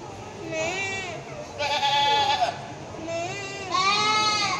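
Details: Several goats on a farm calling loudly, with overlapping wavering bleats, one drawn out through the middle and another rising near the end, over background chatter.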